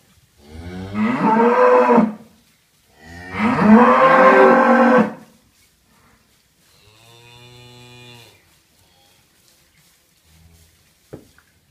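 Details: Galloway cattle in a barn after a calf's birth: two loud, hoarse, drawn-out moos of about two seconds each, separated by a short pause, followed by a softer, thinner bawl and a sharp knock near the end.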